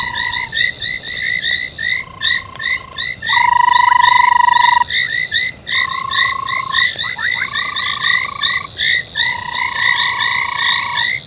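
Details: Frogs calling at night at an old foam nest by Gowrie dam waterhole, Djuma Game Reserve, Sabi Sand, South Africa, 25 January: overlapping chorus of short chirping notes mixed with long steady trilled tones, several callers at once.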